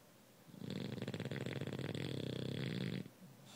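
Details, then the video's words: Sleeping bulldog snoring: a dense rattling, buzzy rasp held for about two and a half seconds, then a sudden stop into quiet breathing. "Bulldog Snoring"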